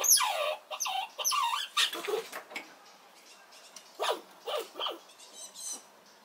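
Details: Red squirrel protesting noisily as another squirrel comes near its nut supply: a burst of loud, quickly repeated downward-sliding squeaks, then a pause and a softer run of short falling squeaks.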